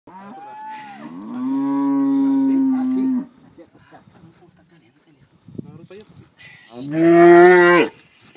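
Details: Calves bellowing during branding at Pedro Celestino Negrete, El Oro, Durango: a drawn-out harmonic bellow of about two seconds, a quiet gap with faint rustling, then a second, louder and shorter bellow.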